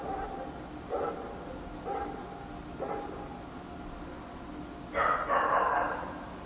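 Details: Dog barking at night in Korea: several faint, distant single barks about a second apart, then a louder, closer flurry of harsh barks near the end, all over a constant low hum.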